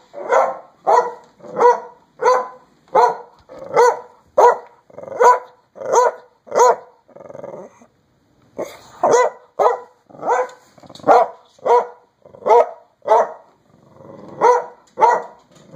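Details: A dachshund inside a coat sleeve barks steadily, sharp clipped barks about twice a second, then a brief low grumbling pause near the middle before the rapid barking resumes.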